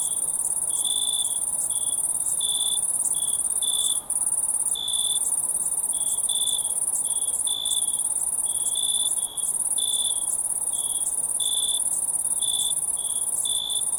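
Crickets chirp in a night chorus, short high pulsed trills over a steady very high ringing hum.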